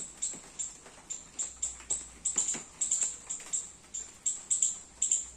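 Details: Garden squirrel calling while feeding on young coconuts during rain: a steady string of thin, piercing high chirps, about two per second, some doubled, over a quiet background.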